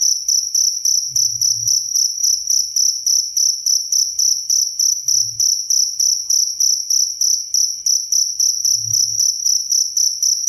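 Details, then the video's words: Crisp recording of a cricket for teaching songbirds, also offered for falling asleep: an unbroken piercing high trill chopped into fast regular chirps, accompanied by three dull low knocks spaced several seconds apart. "SUARA JANGKRIK SUPER JERNIH"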